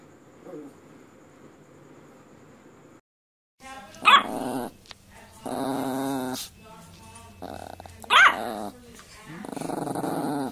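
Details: Puppy sounds with sharp barks roughly four seconds apart, separated by long, rough, tonal growling stretches; quiet background before the first bark.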